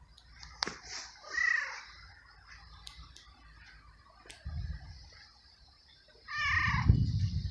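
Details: Abandoned feral little male cat in a garden, a stray fed and petted daily, gives two drawn-out harmonic meows a few seconds apart, the second louder, with low rumbling noise and faint clicks between them.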